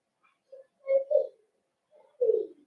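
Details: Young Cavalier King Charles Spaniel puppies in their home pen, socializing with bigger dogs, December 13, 2022. Low, cooing whimpers: a soft note, a louder double whine, a pause, then one more drawn-out whimper. The room is otherwise silent.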